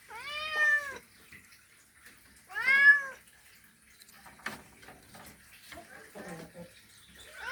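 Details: Male cat making a mating call toward a female: two clear, rising-falling meows about two seconds apart, followed by clattering, rustling and knocking sounds.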